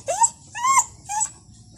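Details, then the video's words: A pet dog making a lot of noise at home gives three short whining yelps, each rising then dropping in pitch, spaced about half a second apart, over a faint low background hum. "Today Boss(our dog) is so noisy"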